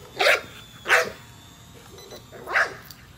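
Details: Nola, a female American Bully, barks while chasing a drone overhead: three sharp, separate barks spaced about a second apart, with the drone's thin, steady high whine running underneath.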